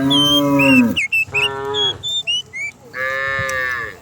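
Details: Morning descent of a large herd of cows down a village hill; a deep moo, a shorter second one, then a higher, nasal bellow at the end, with bright bird whistles scattered between.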